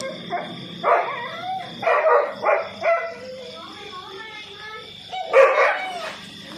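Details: Two domestic dogs confronting and ganging up on a cobra that slithered into a house in Nathawee District, Songkhla, Thailand, caught on CCTV; a burst of rough barks in quick succession, then a pause and one more bark, with background music and a steady electronic tone.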